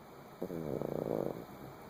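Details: Kilroy, a sleeping dog, gives one rattling snore lasting about a second, a low fluttering drone with rapid pulsed texture that swells and fades, against a quiet room hiss.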